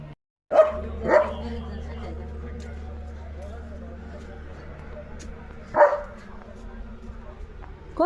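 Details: Leo, a German Shepherd, barking in a yard on a rainy day: two sharp barks close together near the start, a third about five seconds later, and another beginning at the very end, over a steady low hum.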